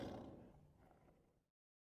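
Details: Zoo lion, called King Lion, giving a single deep, rough roar that starts loud and fades away over about a second and a half, then silence.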